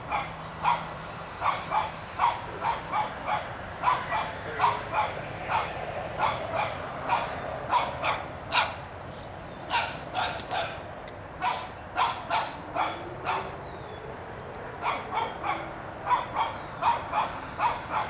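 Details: Outdoors, a young Shih Tzu barks repeatedly while driving a whitetail deer from the yard, a long run of steady, evenly spaced yaps roughly every half second with a few faint background noises.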